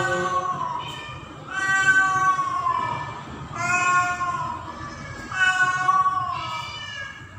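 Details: Female domestic cat named Pretty, in heat during mating season, calling for a male cat: four long, drawn-out harmonic yowls, some sliding downward in pitch, each about a second or more, separated by short pauses, over a low background hum.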